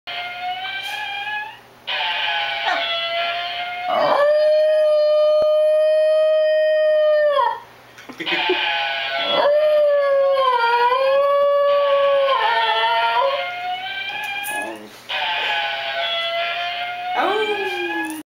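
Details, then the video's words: 4-year-old female Basenji gives long, wavering howls, steady tones bending and yodelling between pitches, howling in response to the sounds of a toy car that drive her crazy. "Basenji Howling"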